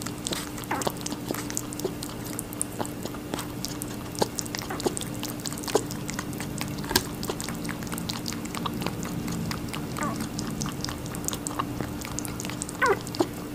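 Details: Rabbit eating watermelon, recorded close up indoors: steady rapid crunching and wet bites, many quick clicks per second running without pause, with a faint constant hum underneath.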